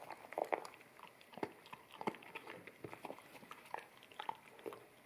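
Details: Akita puppy at a bamboo plate of wet kibble, stereo sound from a ZS100 camera. Clustered wet clicks and mouth smacks in short bursts, a strong burst early on, then sparser chewing noises.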